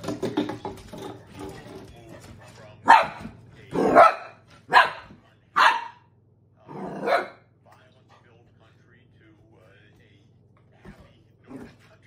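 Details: Dog barking at an empty soda bottle it treats as a threat: muffled speech at first, then five loud, sharp barks at irregular gaps of under a second, followed by near silence and a faint low hum.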